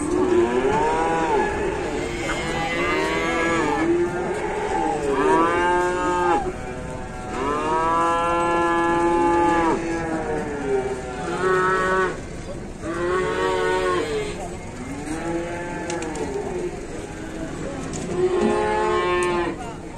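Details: A herd of cattle on an Indonesian farm keeps up repeated arching moos, one after another for twenty seconds, some long and steady, others short and bending in pitch, with overlapping callers.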